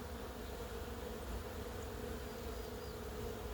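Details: Thousands of honey bees swarming one flowering plum (maehwa) tree in full bloom in a vegetable garden produce a continuous, even, low buzzing drone without pause; no single insect stands out.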